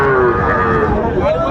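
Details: Moo from a Sahiwal bull calf at Raniganj market, Dinajpur, during buying and selling on 22 January: a short tonal low that sags in pitch, then lifts again near the end, with busy market voices murmuring underneath.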